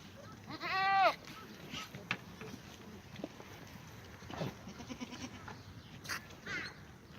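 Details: Black goat at a farm exercise yard in Gimhae, South Korea, on a sunny Tuesday morning; one short, strong, quavering bleat near the start, then only scattered knocks and faint farm noise.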